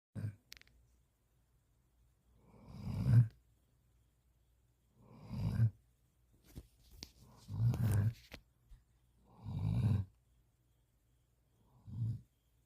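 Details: Standard Poodle, a large dog, asleep with its head resting on a person's arm, snoring indoors; deep, rumbling snores roughly every two to three seconds, each a low rasping swell with quiet pauses between breaths.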